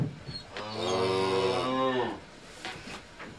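A cow gives a single long, low moo lasting about a second and a half, rich and droning, that slides slightly downward before ending.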